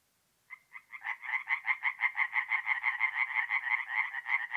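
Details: Tree frogs calling at night at a forest pond in north-east Italy in mid-April. After half a second of quiet, a few spaced croaks speed up into a fast, even run of pulsed notes, about three per second.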